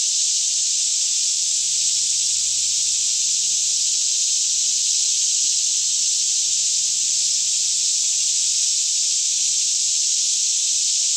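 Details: Kentucky forest near Franklin at about 10am, air fairly still: cicadas singing on all sides form one seamless, piercing, hissing buzz that never rises or falls over eleven seconds; recorded with a Canon 5D Mk2.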